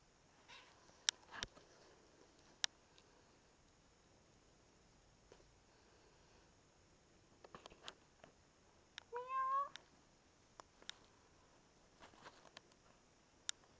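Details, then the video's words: A Russian Blue cat looked after by a pet-sitter utters one clear rising-then-falling meow late in the recording. Light taps, rustles and a faint murmur of earlier vocal sound precede it. "Russian Blue"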